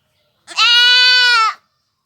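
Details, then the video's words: One sustained, steady bleat from a village goat, lasting about a second and bright and reedy, with silence before and after. "goat sounds / really goat sound effect"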